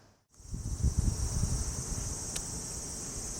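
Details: Summer insects at a traditional Japanese house in Japan: a steady, high, unbroken buzzing drone runs throughout, over low rustling and thumping noises after a brief silent start.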